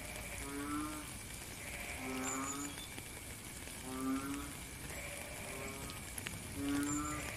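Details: Frogs calling in the rain, recorded in real time in nature: low, drawn-out, nasal croaks, each under a second, come about every one and a half seconds over a steady hiss of rain, with fainter higher calls behind.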